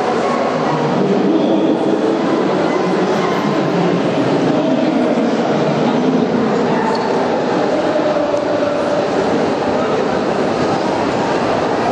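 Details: Steady, loud broadband rumble like a rolling train fills the whole stretch, with murmuring voices blended underneath.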